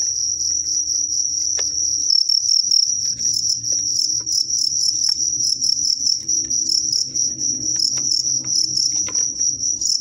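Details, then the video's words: During a staged bout between a strong sotang cricket and a crazy cricket, piercing high chirps ring out in rapid pulsed bursts, with a low hum and a few clicks underneath. "JANGKRIK KUAT(SOTANG) VS JANGKRIK GILA"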